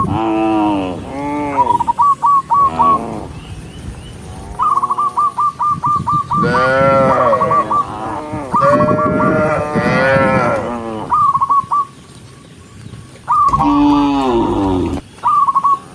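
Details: A huge herd of cows making its way to the barn calls almost constantly: swelling moos and rapid stuttering notes from many animals overlap, easing off into a quieter stretch near the end.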